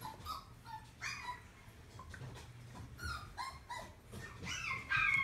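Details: Puppies in a pet shop kennel give short high yips and whines, rising and falling in quick overlapping bursts, with a steady low electrical hum underneath and a louder squeal at the end.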